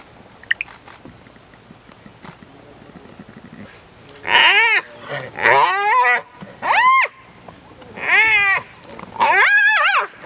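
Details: Young spotted hyena attacked relentlessly by an adult of its own clan. After a quiet start with faint clicks, five loud arched, harmonic squeals arrive about once a second, each rising then falling sharply.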